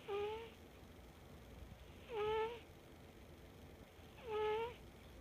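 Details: A sleeping cat named Mafin gives three drawn-out, whiny nasal calls about two seconds apart, each sliding slightly downward then flattening, with rich stacked overtones and quiet room hiss between them.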